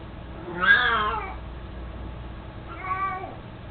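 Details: Elderly pet cat Mico, 18 years old, mostly blind and fond of his toy mouse, lets out a loud bending meow followed after a pause by a softer, shorter second meow, with low background hum.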